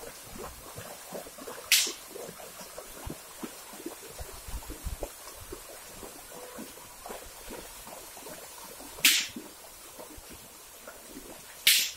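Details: Water drips and splashes at a river crossing, punctuated by three loud sharp cracks, with no animal voices.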